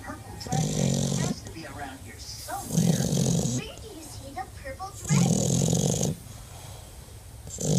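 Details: Deaf French bulldog snoring indoors; loud, rasping snores come in long bursts of about a second, roughly every two to three seconds, with human speech heard between them.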